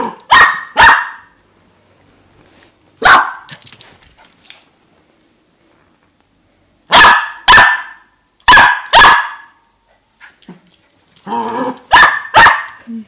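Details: A four-and-a-half-month-old dachshund puppy runs about, barking for no reason: sharp, high barks, often in quick pairs, with short pauses between bursts.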